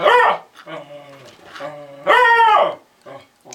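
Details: A lemon beagle named Lady protests the other household dogs with two loud arched yowls, soft drawn-out moaning whines between them, indoors as someone talks to her.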